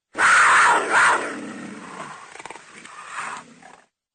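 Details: Cougar roaring: one harsh, loud snarling burst with a second peak near one second, then a fading raspy tail lasting about three and a half seconds, no other sounds.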